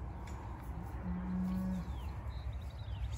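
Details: Newly arrived, frightened cows on a homestead: a single low, steady, drawn-out moo of under a second, over a constant rumble of wind, with faint high chirps afterward.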